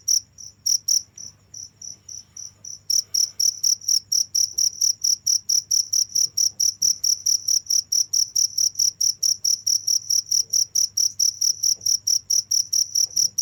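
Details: Continuous cricket call: a few sparse chirps, a short lull, then a steady run of sharp high pulses about twice per second, background otherwise quiet.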